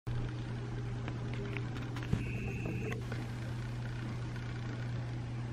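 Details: Steady low indoor hum with faint clicks, a short bright tone and a brief thump, no animal voice.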